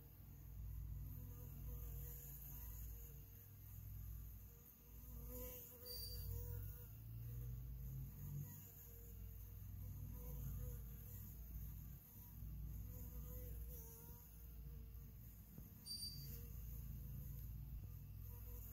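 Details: Honey bees in a hive, with a worker bee cleaning and feeding the queen, make a deep, continuous, even buzzing drone with gentle swells and faint higher tones now and then.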